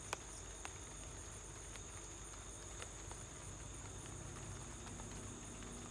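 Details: A cricket trills steadily at a high, even pitch at home while light rain patters with a few crisp drips in the background.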